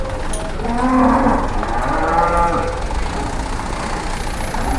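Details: Cattle arriving by truck in Indonesia, two truckloads including one very large animal; a single hoarse, breathy moo swells and fades over the middle seconds, with engine rumble and distant voices underneath.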